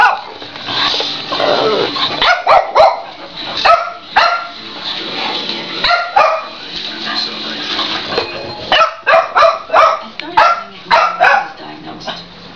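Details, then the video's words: Three dogs, Luna the French Bulldog, Tessa the Boxer and Lily the Boston Terrier, play a game of tag after Luna takes the ball. Sharp, yappy barks come in quick bursts, some clustered, with faint background music throughout. "Boxer, Boston and Frenchie playing Tag"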